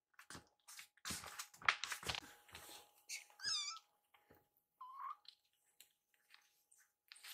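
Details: Rescued baby kittens indoors meowing to ask for food while staring at their caretaker; a few short high mews, one wavering and one lower, among rustling and handling noises.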